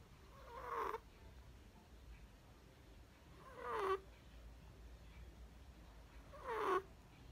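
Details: Sleeping Chihuahua puppy snoring, recorded 12 October 2020: three raspy, breathy snores about three seconds apart, each swelling briefly and ending in a sharper snort, with quiet low hum between them.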